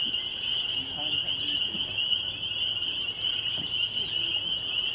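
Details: Spring peepers in full chorus at Laurel Creek Conservation Area, Waterloo, Ontario, Canada, on a May 2021 evening: an unbroken, piercing high-pitched trilling wall of peeps, with faint scattered chirps in the background.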